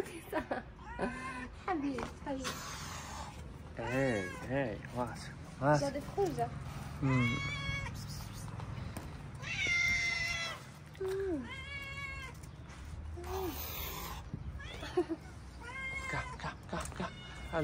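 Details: Moroccan street cats, happy to see the people who feed them, crowd in with many quick overlapping meows, short chirping mews and longer wavering cries, mixed with human speech and bag rustling.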